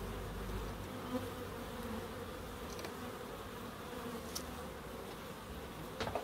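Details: Continuous droning of bees in a small garden in Crookes, even and low-pitched throughout, broken by a few faint sharp clicks.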